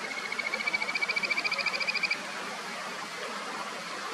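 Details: Kajika frogs calling in a clear mountain stream, upper Nameri River, Sendai, Japan: a rapid trilled series of clear whistled notes, accelerating then stopping after two seconds, over a steady rushing water background.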